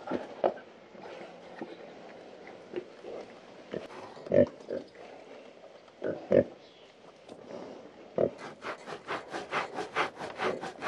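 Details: Pigs on a farm grunting while scratching: short, low, rough grunts at irregular intervals, several louder ones standing out. In the last three seconds comes a quick run of scratchy, rasping strokes.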